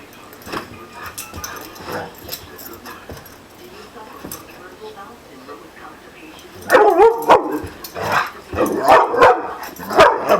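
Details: Pet dog Bandit reacting to an orange being held, which he dislikes: quiet talking at first, then loud harmonic, wavering growly yowls and barks in rapid uneven bursts over the last four seconds, with a voice mixed in.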